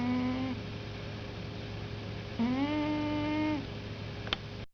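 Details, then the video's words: Pet cat named Peter, asleep and snoring loudly with a whistle: two drawn-out, steady whistled tones, the second slightly rising and held for over a second, over a constant low indoor hum, ending with a brief click. "Snoring Cat"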